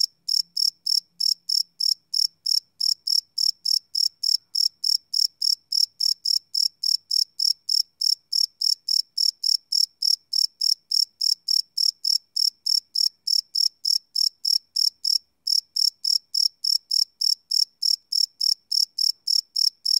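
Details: Crickets at night, recorded live without loops on a Sony PCM D100: a long, unbroken train of sharp, high chirps, about three per second, steady in loudness throughout, with a faint low murmur near the start.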